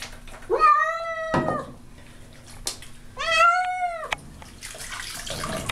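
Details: Baby, a house cat, protesting a bath she clearly dislikes: two long, strained meows with a rising then falling contour, separated by a pause, with water sloshing and handling noises in a small room.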